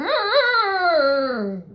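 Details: Six-year-old pet poodle talking back to its owner indoors with a long, wavering, whiny howl that wobbles at first, then slides slowly downward and fades over under two seconds.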